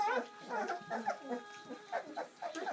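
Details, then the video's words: Seven Bernese Mountain Dog puppies, born on Valentine's Day 2013, having their first feed on Mothering Sunday; a chorus of high, wavering whimpers and squeals rises and falls in short overlapping bursts. "Bernese Mountain Dog's 1st ever feed"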